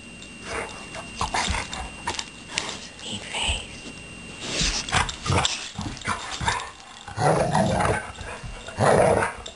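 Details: Blue and Suri, two dogs at rough-and-tumble play, trade gravelly growls in irregular bursts, louder and more sustained snarling rumbles near the end.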